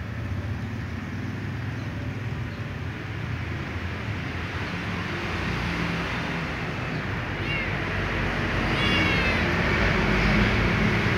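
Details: Small ginger she-cat gives short meows after drinking water, followed by scratching; two brief bent cries appear late in the recording, partly buried under a steady, loud engine-like drone.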